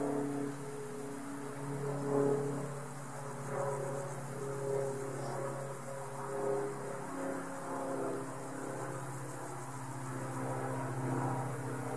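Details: A steady low engine-like hum with tonal harmonics and background noise, with no clear animal sound. No insect buzzing or other calls stand out above the drone.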